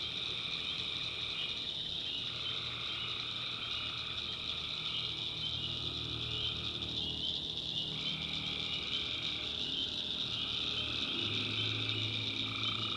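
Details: Several tree frogs trade overlapping trills at night in a North Carolina backwoods swamp. The trills are closely spaced and often run into one another, over a steady high whine and low rumbling background.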